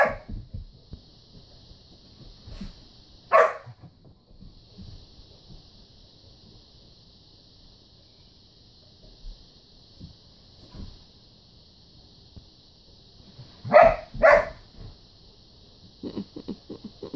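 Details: Two poodles playing with a ball indoors: a single sharp bark early on, then a quick double bark much later, with long quiet gaps and a steady high-pitched hum throughout.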